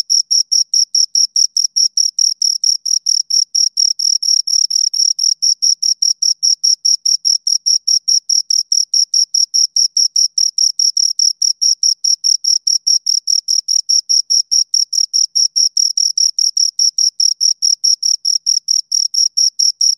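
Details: Two crickets give a long, even run of shrill chirps, roughly two to three per second, very regular and loud, a continuous high ringing pulse train against silence.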